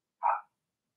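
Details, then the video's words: One brief, bright yap from a Blenheim Cavalier King Charles Spaniel puppy in its puppy pen, part of a six-pup litter; a single clipped bark lasting a quarter second. "Cavalier Puppies Bark"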